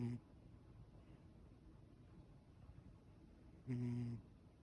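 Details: Ragdoll cat in a relaxed state, one short, low droning snore near the end after a quiet stretch, with the tail of another breath at the very start.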